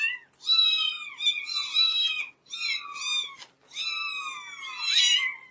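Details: Several kittens meow at once in a small room, high thin overlapping cries that rise and fall, nearly continuous with brief breaks.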